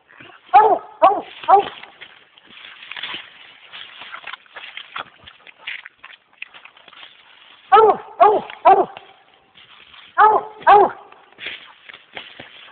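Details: American Leopard Hound treed on a raccoon in swamp country; clusters of three ringing barks, separated by stretches of men talking and rustling.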